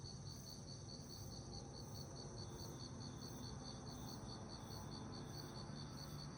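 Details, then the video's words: Crickets chirping at night in summer, a bright, regular trill of quick high pulses, several per second, over soft low background noise. "여름밤 귀뚜라미 소리"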